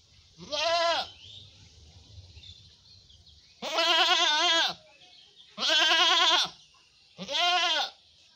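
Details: Black goat giving four loud, quavering bleats, each about a second long with a shaky wavering tone, spaced by short pauses; a faint low rumble sits underneath the first gap.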